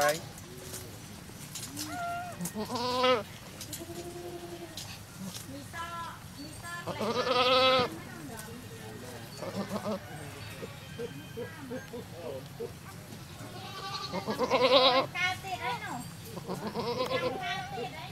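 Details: At a cow farm where a goat has just delivered a baby, three separated bursts of shaky, nasal bleating stand out, spaced several seconds apart, with quieter Thai conversation and farm noise between them.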